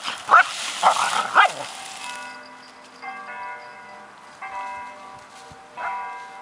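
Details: Alisa, an Icelandic Sheepdog keeping birds off harvested farm fields, lets out three quick barks, followed by sustained tonal ringing sounds resembling bells or music.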